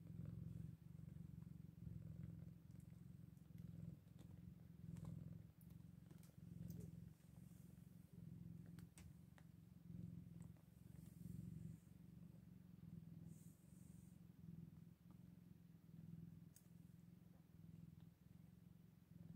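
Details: Eight-day-old Scottish Fold kittens purring almost without a break, a deep, steady throbbing with slight swells in loudness and scattered soft ticks and rustling.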